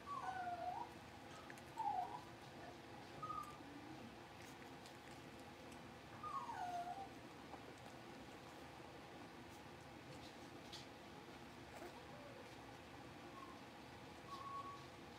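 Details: Five blenheim Cavalier King Charles Spaniel puppies, two girls and three boys born at New Year's, settling into a bigger home puppy pen. Soft, high squeaky whimpers come in short bends and bursts every few seconds over a steady low room hum.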